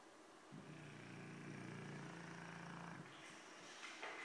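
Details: Snoring from Fofuxo the Dogue de Bordeaux: one drawn-out, low, vibrating breath lasting about two and a half seconds, then quiet room noise.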